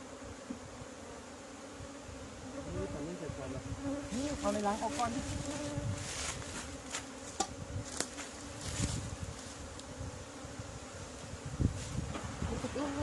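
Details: Hive of Asian honey bees in Thailand, an old colony whose queen had moved, being opened for the year's first honey in 2020. A constant low buzz mixes with repeated tapping, clattering and handling noises.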